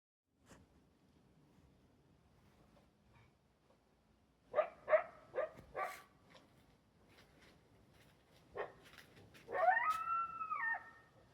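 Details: One of a wild coyote couple, one larger than the other, near a backyard gives a few sharp, hoarse barks, then a drawn-out wavering yelp over a quiet background. The pair are heard clearly but are hard to see.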